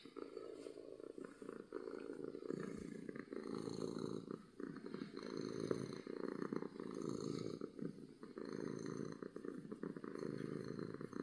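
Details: Domestic cat purring loudly out of happiness, a long unbroken low buzzing rumble that rises and falls gently with each breath, with faint rustles.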